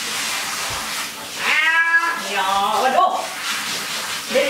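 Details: ['Domestic cat being bathed in a bathroom at home, giving two drawn-out harmonic meows, the second wavering up and down, over a steady background hiss, with a person talking nearby.']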